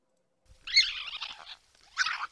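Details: Several raccoons squabble over food, a harsh, raspy screech lasting about a second, then a shorter snarling burst after a brief pause; disgruntled fighting calls, very loud outdoors, often heard in woods, near cornfields or suburbs.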